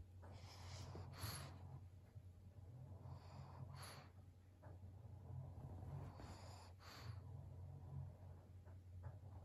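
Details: Snorting from Maria, an elderly fawn female pug aged 12, indoors in Japan in November 2022. Breathy nasal bursts arrive roughly every two to three seconds over a continuous low-pitched room hum.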